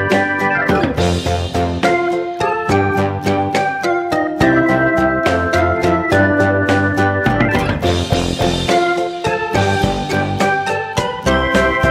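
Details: Loud organ and keyboard music plays throughout with steady beats and chords, no animal voice.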